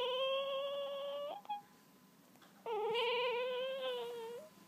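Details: Very young wolf hybrid puppies, two weeks old and just opened their eyes, give two long steady whines, each over a second. The second wavers slightly and lifts at its end, with a faint tap between them.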